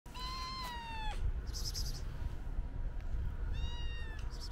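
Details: White stray cat being petted gives two clear meows: a long, steady one lasting about a second, then a shorter one near the end. Brief rustling from handling and a low background rumble.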